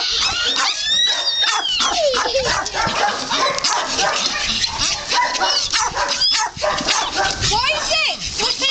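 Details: Several puppies play-fighting and trying to beat up a person, giving squeaky, rising and falling yips and whines in quick bursts, with people talking over them throughout.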